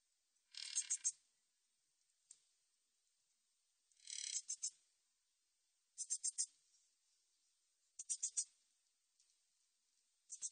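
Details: Min's bush cricket, recorded for Korea's National Institute of Biological Resources in 2020: high, dry buzzing phrases alternate between longer continuous rasps and clusters of three or four quick ticking pulses, spaced roughly two seconds apart.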